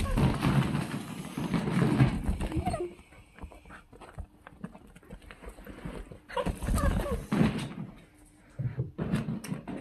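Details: Miniature dachshunds (named Pixel and Zepy) give short, low barks and whines amid thumping and a little human speech.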